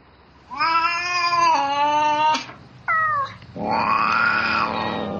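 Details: Domestic cat calling for a mate at night, meowing in bouts. A long, flat-pitched wailing meow that drops slightly in pitch, a brief falling cry, then a swelling, rounded yowl. The background is otherwise still.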